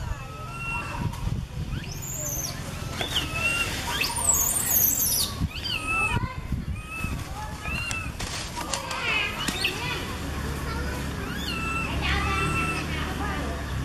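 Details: A baby monkey cries out to its mother, who sits in a tree, recorded on a Canon SX50HS: many short, bending whistled squeals rising and falling, including one piercing high shriek midway, against constant low background hum.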